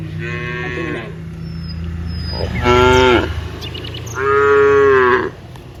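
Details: Cows mooing while a herd of dozens walks from the rice fields to the village; three harmonic moos, the first and last long and level, the middle one short and loud, with faint bird chirps and a steady low hum beneath.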